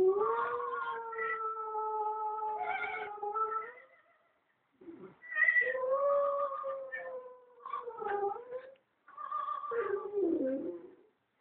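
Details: West Highland White Terrier indoors in a small room, howling along in a drawn-out, wavering tone with sliding pitch and harmonics, in long phrases broken by short pauses.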